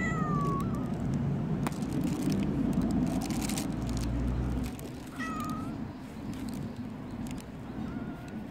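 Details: Stray tortoiseshell cat arriving early in the morning and pestering, giving three falling meows spaced several seconds apart over a loud rumble of outdoor traffic and urban noise.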